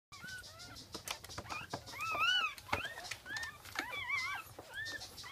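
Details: Newborn Jack Russell Terrier puppies from a second litter, recorded at 5:35 am on 17 October 2014, make a dense chorus of high, arching squeaks and squeals, overlapping constantly with rustling.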